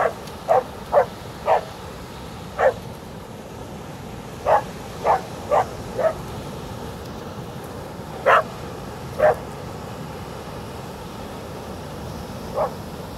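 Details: A Border Collie on a beach barks at the waves in short, sharp woofs, some in quick pairs, spaced irregularly a second or two apart, over the constant low roar of breaking surf.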